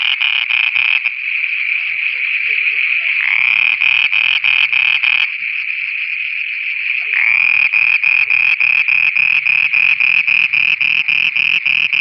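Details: Frogs calling at night in Pakistan with rapid rasping pulses, a long smooth buzzing stretch in the middle, then the quick pulsed croaking again over soft, low, muttering croaks from other frogs.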